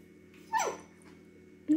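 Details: Female Siberian Husky puppy begging for food, giving a short whine that slides downward, then a second higher whine near the end, while a person talks softly around her.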